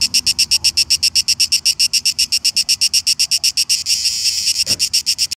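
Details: A cicada in Šibenik, Croatia, on 5 July 2018 sings a rapid, steady series of shrill, buzzy pulses, several each second.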